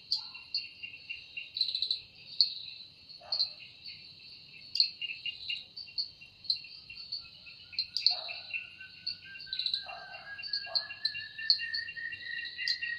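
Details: A cicada's shrill, steady buzz with rhythmic high chirps fills an evening forest, while a few lower bird calls and one long rising whistled note break in now and then.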